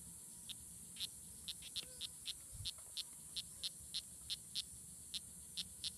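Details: Strawberry poison dart frogs (Oophaga pumilio) fighting at La Selva Biological Station near Sarapiquí, Costa Rica, on June 24, 2016; short, high chirps repeat every third to half second over a steady high insect hiss.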